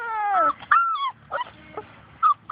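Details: Outdoors, Labrador Retriever puppies from Grace and Sam's litter chase their mama and whimper: a long, falling, harmonic-rich whine, then shorter squeaky whimpers, with a low rumble of background noise.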